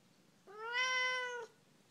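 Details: Talkative female Siamese cat giving one long, loud, drawn-out meow lasting about a second, rich and nasal in tone, rising slightly then holding level before cutting off, in a quiet indoor room.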